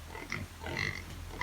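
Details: Brief burst of native pig squeals and grunts on a Philippine farm after a morning feeding, a few tonal cries rising over low rumbling background.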